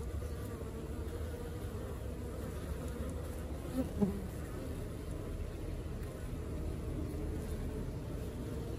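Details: A working honey bee colony fills the recording with a continuous low droning hum from many bees, steady throughout, with one brief soft knock near the middle.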